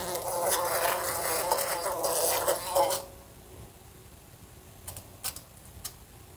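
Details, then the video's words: A fly in a room beside a lamp: a loud, rough buzz for about three seconds, then near silence with a few faint ticks. "A Fly Buzzing Sounds"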